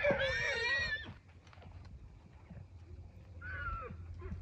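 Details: Wild horses: a loud, harsh, wavering harmonic squeal of about one second, followed after a pause by a shorter, softer cry, over low rumbling background noise outdoors.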